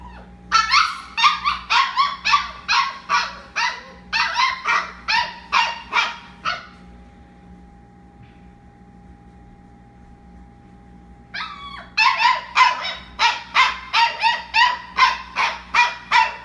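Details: At night, a Labradoodle puppy in a litter of fifteen cries at bedtime in fast runs of sharp, high yelping whines, several per second, breaking off into about five seconds of near silence before another rapid burst resumes.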